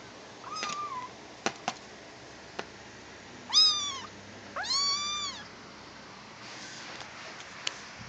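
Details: Seven-week-old adopted tabby kitten playing and attacking a box indoors: two clear rising-then-falling meows with rich harmonics, the second longer, amid sharp tapping and scratching knocks on the box.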